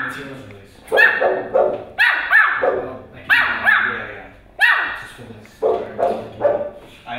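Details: A Pomeranian puppy barks at a huge dog, a run of high, sharp barks, each a short burst about a second apart.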